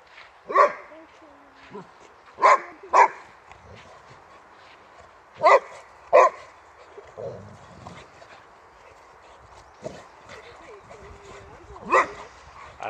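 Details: Swedish male Boxer Rex argues with Boxer Tuva over a toy, asserting himself as alpha male. Loud, sharp barks come singly and in quick pairs every few seconds, with soft grumbles and whines in between.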